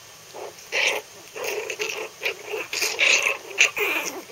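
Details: Three-week-old Maltese puppies playing together in a pen, still wobbly: a series of short, high, squeaky growls and yelps in quick bursts, several overlapping over a few seconds.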